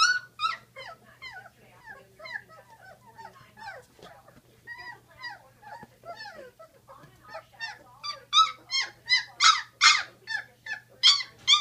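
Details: Litter of 16-day-old Great Dane puppies calling: a continuous chorus of short, high squeaky whines and yelps, many at once, growing louder and more insistent toward the end, over a faint steady low hum.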